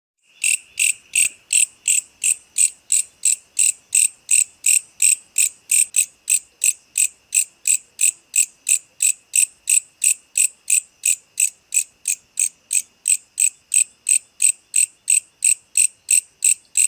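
A night insect repeats short, shrill buzzy pulses at a steady rate of roughly three per second. Each pulse is high and ringing, with no other sounds behind it.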